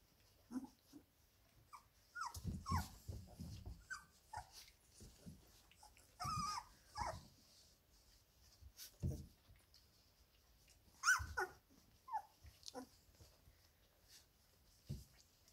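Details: Labrador Retriever puppies, 17 days old, playing together in their whelping box indoors; short high whimpers and squeaks, soft growls and grunts come in scattered bursts, with quiet pauses between.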